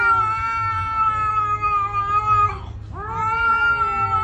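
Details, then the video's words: Domestic cat holding a long, steady, tonal meow, briefly dipping and breaking before rising again into a second sustained wail. "Funny cat sound"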